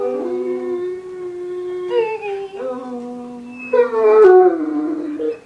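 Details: Doogan the Irish wolfhound 'singing' about his day indoors as family comes home, a sustained steady howl that bends upward, then a few short yowling notes climbing and falling.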